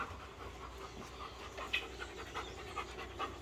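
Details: Akin, an American Bully dog in a focus training session, panting steadily with rapid breathy huffs about three per second, growing clearer in the second half over a low steady hum.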